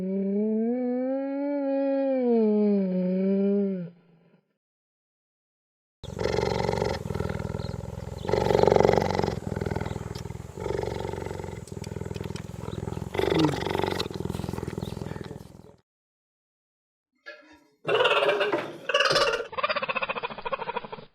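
A cheetah gives a drawn-out, rising-and-falling tonal call, followed by rough, raspy growling.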